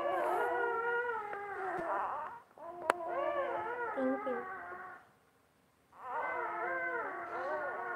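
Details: Basset Hound with her newborn puppies; drawn-out, quavering whine-moans with bending pitch, two long phrases split by nearly a second of silence, then a third starting, against a quiet room.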